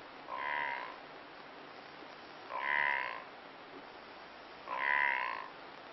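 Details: A blue wildebeest in Kruger National Park gives short, nasal, honking grunts, repeated about every two seconds.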